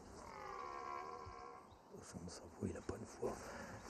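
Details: A young red deer stag arriving in the autumn rut in the Compiègne forest, France, gives a drawn-out, moaning roar, higher and thinner than an older stag's; not a big stag.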